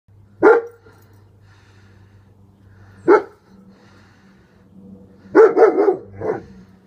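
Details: German Shepherd, male, with a bandage on a back leg, barking while guarding: a single loud bark, another about two and a half seconds later, then a quick burst of three barks and one more, with a faint low hum between them.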